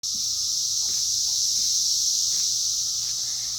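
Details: Cicadas out during their 2021 emergence: a dense, unbroken high-pitched buzzing drone holds steady throughout, with faint soft knocks and rustles underneath.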